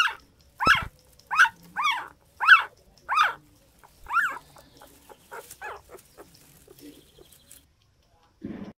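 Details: Dog barking in a quick run of six sharp, mid-pitched barks over about four seconds, then softer, scattered yaps and whines fading out, with a brief low noise near the end.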